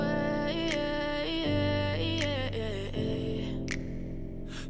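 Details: Melodic music with sustained tones and sliding notes, and no animal call heard.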